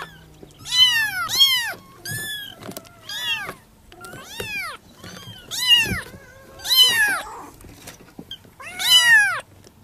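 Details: Several Persian kittens named Leo, Loki and Momo call their mother with a rapid series of shrill, arched mews, some short and some drawn out, about nine cries in ten seconds over faint room noise.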